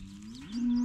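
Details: An overprotective cow on a farm near the end of calving season moos over a calf that is not her own. A short, low, steady moo rises slightly in pitch and grows louder toward the end.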